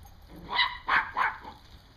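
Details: Dog herding squirrels, filmed October 20, 2014, lets out three quick harsh barks spaced about a third of a second apart, each loud and ringing, over a steady low outdoor hum.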